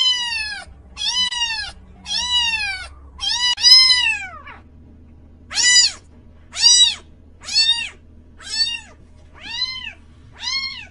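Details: Cat meowing repeatedly, about one meow each second, short arched calls with a longer falling meow in the middle, then an even series of clipped meows; low hum underneath.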